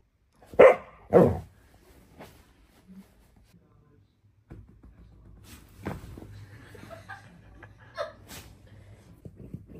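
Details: Phoebe, a playful female pet dog, gives two sharp, loud barks in quick succession at the start, followed by a quiet stretch with a few soft grumbling sounds and light background noises.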